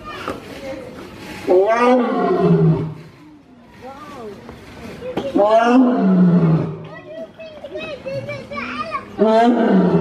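Lions give deep, groaning roars that slide downward in pitch, repeated in bursts several seconds apart.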